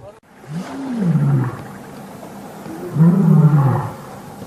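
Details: Lions still roar during the Birmingham males' challenge to the Matimba coalition on August 5, 2015. Two long, moaning roars arch upward, then slide lower and fade, separated by a pause of about a second.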